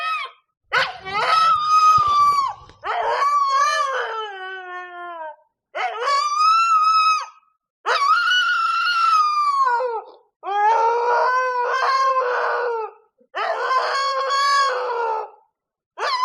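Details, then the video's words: Siberian husky female in heat, howling at night in a village: a series of long wavering howls, each about two seconds, some sliding down at the end, with short silent gaps between them and a hint of indoor room echo. "Страшный вой хаски!"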